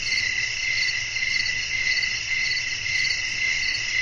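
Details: Crickets chirping at night with a breeze in a relaxing natural setting; a dense, steady high-pitched trill pulsing roughly twice a second, with further insect layers above and a faint low rumble beneath.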